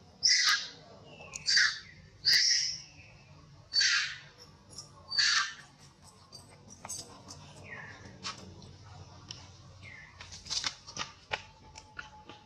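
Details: Old monkey in pain letting out five loud, shrill screams in the first half, then only faint scattered squeaks and clicks.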